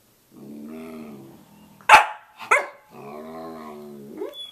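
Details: Samoyed at 6:00 a.m.: a low, drawn-out harmonic moan, then two sharp barks in quick succession, then another long groaning whine ending in a brief yelp.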